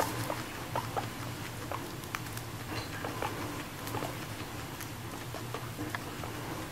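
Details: Pet guinea pig Moru-chan, a female, eats grass indoors as if inviting company to the meal; steady crisp crunching clicks throughout over a low rumbling hum, no clear squeals.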